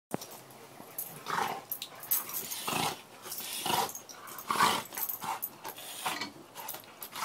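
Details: A Cane Corso gives a series of short, rough growling and whining vocalizations.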